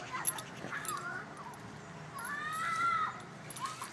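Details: Kuma, a Shiba Inu puppy playing happily in dirt, gives soft high whimpering whines: a short wavering whine early on, then a longer rising and level nasal whine that fades, with a brief yip at the end over faint rustling.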